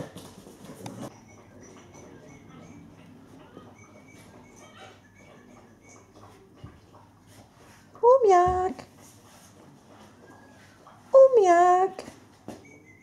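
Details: Eight-week-old Alaskan Malamute puppies, active and playing: two high, wavering yelps about three seconds apart, each with a rising then falling pitch, after a short burst of human speech at the start in a quiet indoor space.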